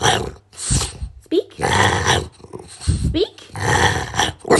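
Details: A black and tan French Bulldog puppy learning to bark on command gives short, rough barks and grumbling growls, with a person's voice between them.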